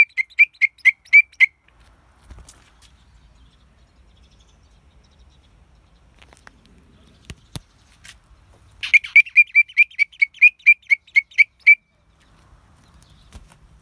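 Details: Pseudophyllus titan, a huge grasshopper with an angelic voice: two bursts of pure, bell-like chirps, each a quick evenly spaced train of about eight to ten notes, separated by near silence with a faint click.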